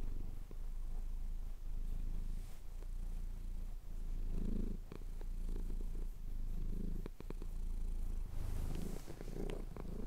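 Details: Low steady purr of a male domestic cat being scratched under the chin, rhythmic breath-paced swells and a few sharp clicks, recorded separately on a Tascam DR-07X as the sun rose over the Cotswolds.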